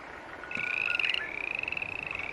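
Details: A single green tree frog call: a tonal, slightly rising note that swells in loudness, then carries on with a rapid pulsing flutter to the end.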